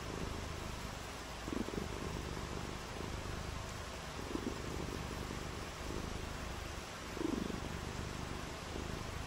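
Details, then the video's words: Domestic cat purring on a rainy day, a low rumble that swells in soft breath-like waves roughly every one and a half seconds, over continuous hissing noise. "RAINY DAY WITH FUN AND PURRING | CAT VIDEOS"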